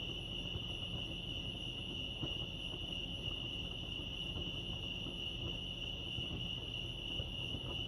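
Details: High, sustained cricket trilling at Lake Arrowhead, California, even and unbroken with a soft upper overtone, accompanied by a low rumbling background and a few faint ticks.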